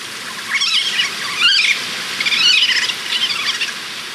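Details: Family of Eurasian otters playing actively in winter in Bavarian Forest National Park; high squeaky chirps in rapid rising-falling bursts, about four groups across the span.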